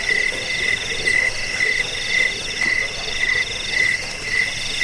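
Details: Cricket (jangkik), offered as a sound to drive away rats, lull listeners to sleep and serve as a master song for training birds. Steady short pulsed chirps, about two per second, over a dense high shimmering insect chorus.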